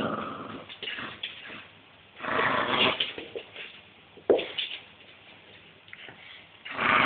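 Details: Hedvig the dog growls while playing with a rope indoors, a reaction triggered by a hand on her head; rough, low grumbling bursts of a few seconds with quieter pauses between.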